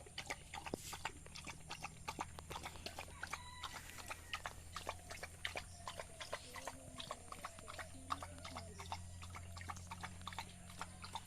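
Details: A village dog eats rice, with quick irregular crunching and smacking clicks over a low background hum.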